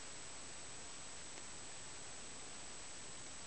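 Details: Quiet even hiss of static, with no animal voice audible.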